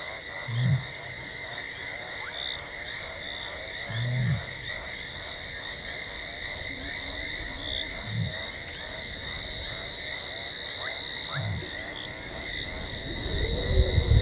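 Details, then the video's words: Lioness Talamati on Djuma Game Reserve, Sabi Sand Wildtuin, South Africa, calls to make contact before reaching Gowrie dam waterhole, 17 December 2020: four deep, short moaning calls every few seconds, then a louder rushing rumble, over a shrill steady chorus. "Lioness(Talamati) runs in from the left after contact calling heard"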